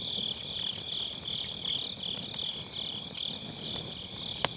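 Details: Grass insects on an autumn night beside a round fire pit campfire, recorded with an MKE600 microphone using low cut; a steady high shrill chorus with pulsing, wavering chirps, broken by sharp crackles and pops of burning firewood.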